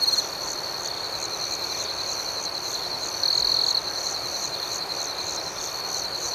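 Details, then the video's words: Nighttime crickets giving a constant high, thin trill and fast rhythmic chirping, with a brief louder stretch in the middle; no other animals, voices or wind. "Soothing Cricket Sounds"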